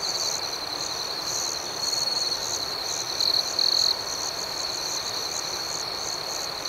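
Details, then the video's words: Nighttime cricket chorus, a constant high-pitched trill with gentle pulsing overtones; two brief louder trills stand out near the middle before the even background chirping resumes. "Soothing Cricket Sounds"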